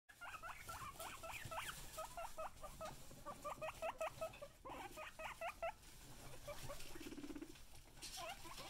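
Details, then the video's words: Excited pet guinea pigs calling in quick bursts of sharp, rising squeaky wheeks, grouped in runs of several notes with short gaps between, over a low background hum. "Excited Guinea Pigs"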